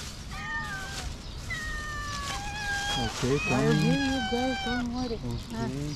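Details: Two very hungry cats being given food; two drawn-out, slightly falling meows in the first two seconds, followed by a person talking over shorter, overlapping cat cries.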